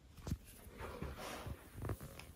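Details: Grumpy Siberian Husky throwing a temper tantrum in a beanbag bed indoors, wanting attention while its tail wiggles; four low, short grumbling bursts over about two seconds, soft and close, in a quiet small room.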